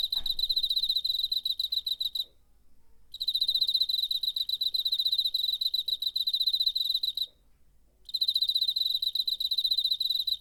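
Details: September 2019 recording of a cricket's wing song on a DR-05 recorder: bursts of fast, evenly pulsed high chirping separated by two short silences of under a second each.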